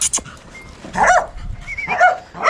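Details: Six-month-old male Bakharwal puppy making two wavering, nasal whining calls about one second apart, with sharp clicks at the start and background noise throughout.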